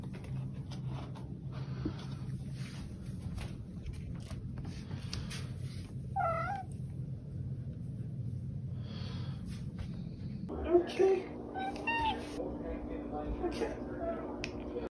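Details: The OK Cat, a female house cat whose meow sounds like "okay": one short, wavering, two-part meow midway through, over a steady low hum, followed by a shift in background noise with clatter and a faint tonal ring.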